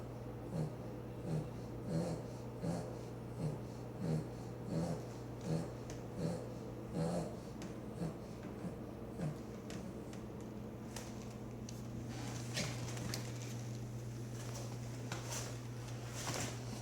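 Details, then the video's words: Sleeping Boston Terrier snoring loudly with rhythmic snorting breaths about every two-thirds of a second over a steady low electrical hum, then rustling near the end. "Boston Terrier Snoring"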